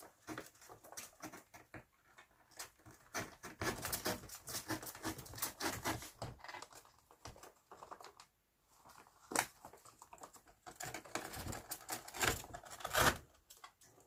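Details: Two pet flying squirrels playing inside a paper bag make a loud run of rapid, irregular clicks, taps and scratchy patter in quick bursts.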